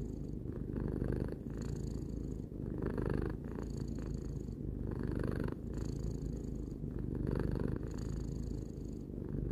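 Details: Continuous purring from Tarou, a pet cat aged three, recorded up close: a low throbbing drone rising and falling in breath-length waves roughly every one to two seconds, no other sounds.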